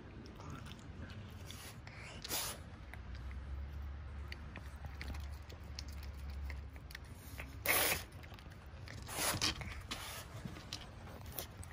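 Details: A zoo masked palm civet eagerly eating a La France pear gives sharp, breathy snorting "fugo-fugo" sounds in scattered bursts, scolding the keeper filming it.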